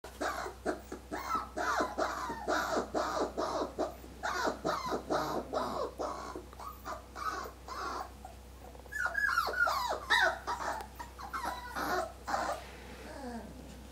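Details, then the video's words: Whippets screaming indoors: a dense run of loud, harsh, harmonic yelps repeated more than twice a second, then a stretch of higher, wavering squeals before fading. "Aerodynamic "B" whippets - screaming Ten"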